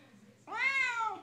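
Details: Female Siamese cat indoors, singing along while her owner sings a Les Mis song; one drawn-out, rising then slowly falling meow of about three quarters of a second, rich in harmonics, against a faint background hum.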